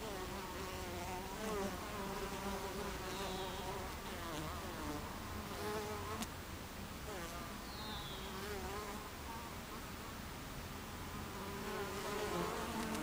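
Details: Busy beehive entrance, 26 July 2013 at 14:55: the low, continuous buzz of many honey bees, with wavering tones as single bees pass, a soft click near six seconds and faint high chirps behind.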